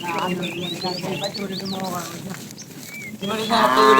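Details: Fat cow calling the female while a tame herd is driven in the afternoon: long, low, harmonic moos that swell and fade, a pause, then a louder final moo, with bright rising bird chirps and whistles over the top.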